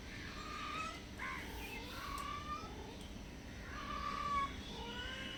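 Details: Stray cats that come to a house hungry, softly meowing for food and shelter; several arched, drawn-out tonal meows rise and fall, clustered early and late, against a constant hiss of outdoor noise.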